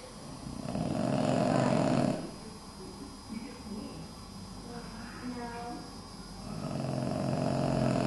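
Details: A Boston Terrier curled up in children's Halloween costumes snores with a deep, rasping rattle on each breath, loud at the start and end with a quieter wheezy stretch between, soft snuffling in the gaps.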